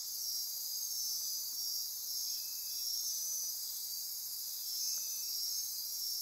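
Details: Dense night chorus of insects in the forests near Corcovado National Park, Osa Peninsula, Costa Rica: unbroken shrill buzzing with rhythmic pulsed trills riding on top, gently swelling and fading in loudness.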